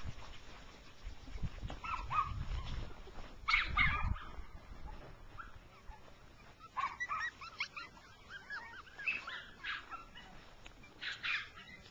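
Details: Rough coat Jack Russell Terriers, a mother and her six-week-old puppies, running in grass outdoors; a few scattered sharp barks and yips with quieter gaps and soft rustling between them.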